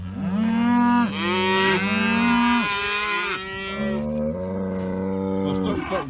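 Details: Dexter cattle mooing early in the morning for a fresh field of grass, several animals overlapping in long sustained moos, one lower voice beneath, calls running almost continuously with brief shifts in pitch.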